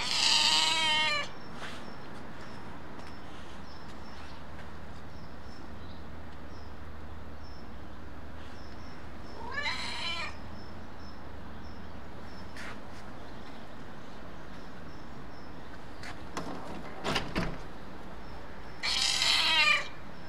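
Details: Angry male white-and-ginger stray cat meowing at a person for attention; three loud, harsh, strained meows spaced roughly nine seconds apart, with quiet background and a few faint clicks and rustles between calls.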